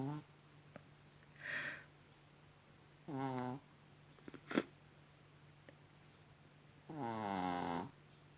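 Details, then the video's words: Rocky, a Chihuahua, snoring in the evening indoors. There are three separate snore breaths, the last a long buzzy rasp, with a steady low hum and a faint click between them. "Chihuahua Rocky schnarcht"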